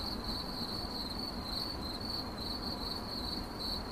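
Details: Cricket chirping, presented as 8D audio for relaxation, sleep and focus: a steady, high, shrill trill pulsing in short bursts several times a second without pause, over a faint low rumbling background.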